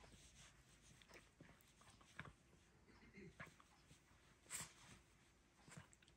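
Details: Several Chihuahuas wrestling and playing together: soft, scattered snorts and short scuffling bursts at irregular intervals, with a brief low grumbling sound near the middle and a sharper snort-like burst toward the end.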